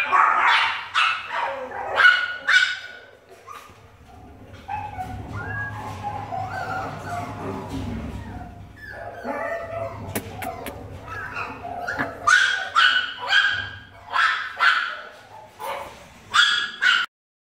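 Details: Blind Chihuahua at an animal shelter, happy, yaps in bursts of quick high barks at the start and end, with softer whines and a low hum between.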